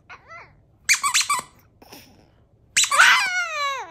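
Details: Chihuahua Cedric, a pet dog indoors, howls a thank-you for fan mail: a short whine early on, squeaky toy squeaks, then a loud wavering howl with stacked harmonics sliding downward over the final second.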